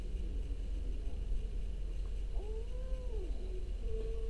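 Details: An orange domestic cat gives a low, tonal meow that rises, holds and bends down over about a second, followed by a shorter level note, with a steady low hum underneath.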